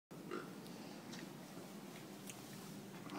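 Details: A young female corgi puppy squeezes an oinking piggy toy in her jaws and gives a hesitant, gravelly growl, playful rather than hostile. It is a low continuous rumble with faint clicks and gnawing noises.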